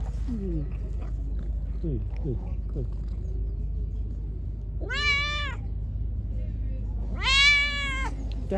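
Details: Pregnant hungry stray cat fed by hand gives two loud, drawn-out harmonic meows several seconds apart after quieter short sliding sounds, over a constant low hum.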